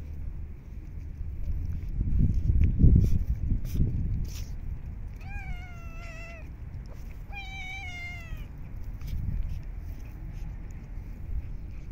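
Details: Stray cats in the cold, snowy winter being fed; after low thumping handling noises, two clear drawn-out meows follow one another, each slightly falling in pitch, over quiet background rumble.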